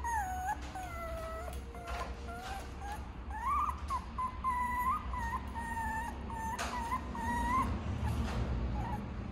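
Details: Tiny all-black teacup Toy Poodle puppy whimpering: thin, high whines that waver, rise and hold level, strung in a quick uneven series of short cries over a steady low rumble in the background.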